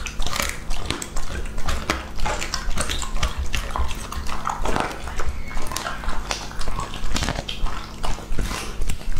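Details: Lucky, a two-and-a-half-year-old English Labrador Retriever, eating raw meat indoors: dense, irregular wet crunching and chewing bursts follow each other closely throughout, over a steady low electrical hum.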